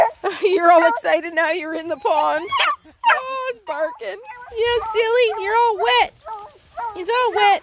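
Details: Black and Tan Coonhound puppies, nine of them, out hiking around a pond, giving steady runs of high, wavering yips and whiny barks, one after another with short gaps, almost unbroken throughout.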